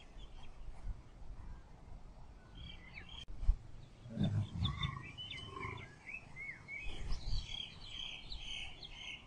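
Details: Lion mating with a lioness: a short, low, rough growl bursts out midway, after a quieter stretch, while many small birds chirp and whistle high above throughout, with steady outdoor background noise.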